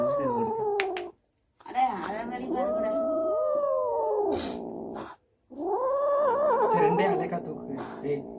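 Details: Domestic cats making a weird, scary sound after catching a rat: long, wavering, moaning yowls that rise and fall, broken by a short silence after one second and another near five seconds.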